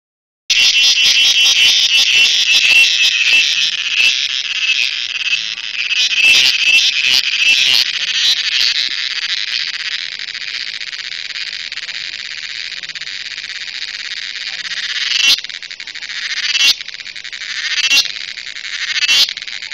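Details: Cricket, called cheveed, in a close recording: a loud, dense, shrill buzzing trill held steadily for about fifteen seconds, then breaking into short separate bursts near the end.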